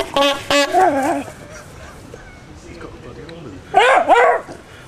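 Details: Squaddie, a Jack Russell Terrier, reacts to a horn at an Okee Dokee Band rehearsal at Copsale Hall, Sussex, June 2009. A brief horn blast opens, then the dog gives a wavering howl and, after a pause, a louder yelping howl.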